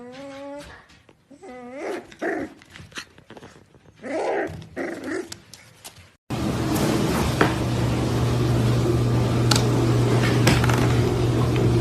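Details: Corgi giving a steady whine followed by sliding whimpers and short grumbling growls, after which loud continuous noise with a low hum takes over for the second half.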